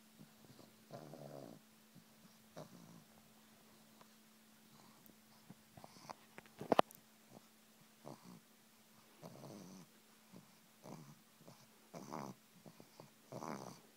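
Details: Female pug enjoying a massage gives occasional short, low "mmmm" hums, spaced several seconds apart, with quiet handling noises and a sharp click midway over a constant low electrical hum.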